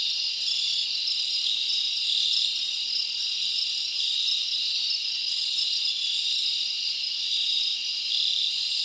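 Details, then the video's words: Crickets chirp through a summer night in the forest, many callers forming one continuous high, shimmering trill, with a brief faint click near the third second. "Live Crickets Natural Sound"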